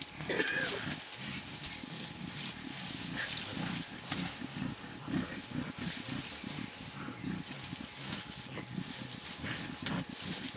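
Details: Blackback mountain gorilla and a two-and-a-half-year-old juvenile at play in Bukima, Virunga National Park, Congo, filmed April 2007; rapid series of low, rough grunts and pants beneath crackling leaf rustle and a constant thin hum.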